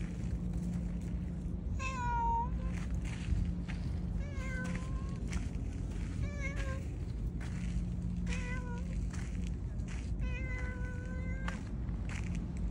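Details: Black-and-white tuxedo cat meowing as it guides its owner, a series of about six short, tonal meows every one to two seconds, some rising and some dipping, against constant low hum and background rustle.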